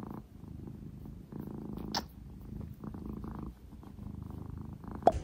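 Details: Purring British Shorthair tomcat Sobbang lying on his owner's lap indoors: a soft, low, throbbing rumble in breath-length waves, broken by a brief rustle near the middle and a sharp tap at the end.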